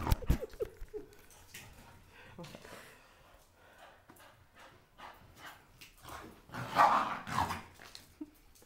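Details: Blue Staffordshire Bull Terrier playing with a toy indoors: short rough growly bursts early on, then a louder throaty growl-bark pair near the end, with scuffling and handling noises between.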